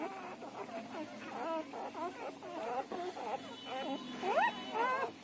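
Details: Siberian Husky puppies in their first ten days of life whine and squeal almost continuously, with quick wobbling notes tumbling over each other and a sharp rising squeal toward the close.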